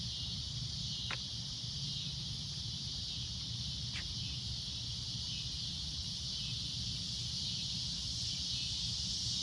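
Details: At sunset a cicada keeps up a loud, shrill, continuous drone, broken only by two sharp clicks early on, with low rumbling noise beneath.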